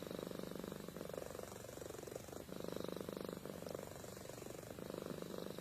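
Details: Amy the cat purring and snoring in her sleep, a low, even rumble repeated in phrases about a second long, separated by brief pauses.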